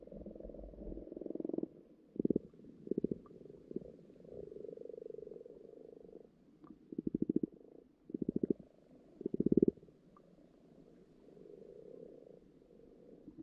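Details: Frogs croaking in a garden pond in spring, with lots of frog spawn appearing, heard underwater: low purring bursts of rapid pulses, several overlapping callers, a soft continuous churring between louder pulsed trills.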